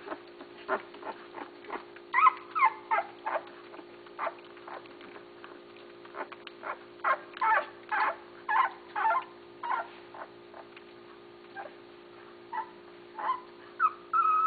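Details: Litter of young Basset Hound puppies, offspring of Mia and Tucker, June 6, 2013: a busy stream of short squeaky whimpers and thin whines overlapping from several pups, with a low steady hum behind.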